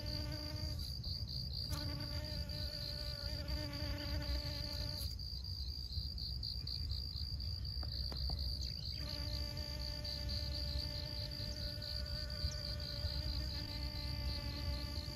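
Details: Honey bees pollinating flowers at Siosar, Karo, North Sumatra, Indonesia: a low, droning, harmonic buzz that fades in and out as the bees move between blooms, over a steady high-pitched whine and low rumbling background noise.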